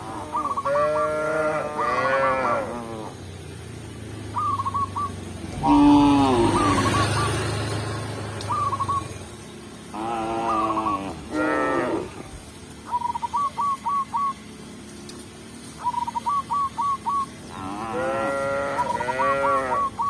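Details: Tame village cows herded back to the pen by a shepherd outdoors; repeated long, arched moos, some overlapping, with a noisy rustling patch midway and series of short hooked chirps in between.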